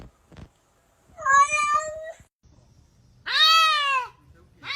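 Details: Domestic cat giving two loud, drawn-out meows with rich harmonics, the second higher and arching down at the end, separated by a short quiet gap in an indoor room.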